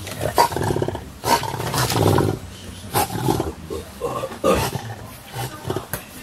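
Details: English Bulldogs, about two years old, recorded 10 January 2017: low, rough grumbling growls in short bursts roughly every second, some with a throaty rasp, separated by brief quieter breathy pauses.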